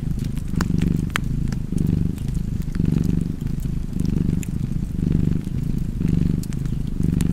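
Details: Cozy cat purr, low and throbbing, rising and falling in breath-length waves near once per second, with scattered snaps of a crackling fireplace on top.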